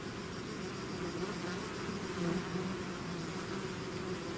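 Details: Swarming bees outside their hive make a continuous droning buzz, with several overlapping pitches wavering slightly as wingbeats shift, and a short swell in loudness around the middle.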